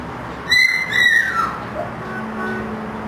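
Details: Siberian husky puppy from a litter born 1 October 2009, three pure white and two gray-white, at a kennel: one high, thin whine that starts sharp, wavers, then slides downward and fades.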